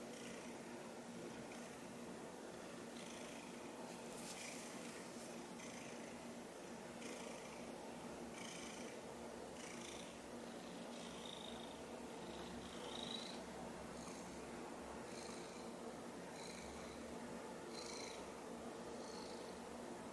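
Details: Silver tabby house cat purring while standing in front of the camera, looking up at a toy taken away because she nearly swallowed it; a steady rhythmic purr in soft breathy pulses about every 1.3 seconds, indoors, quiet room.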